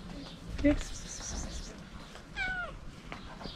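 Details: Calico cat making strange, funny little noises while being petted: a short chirp near half a second, then a brief rising-falling trill around two and a half seconds, over quiet indoor background.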